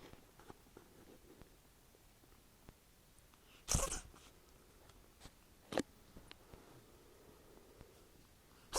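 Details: A pet ferret sick with flu sneezes indoors: one sharp explosive sneeze near four seconds, then shorter snorting bursts at about six and nine seconds, with faint rustling between.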